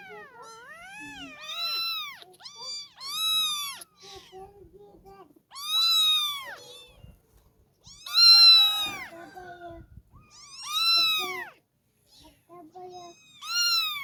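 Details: Kittens calling in a run of about eight meows across fourteen seconds, some short and rising, others long, loud and arching, with quiet gaps between them.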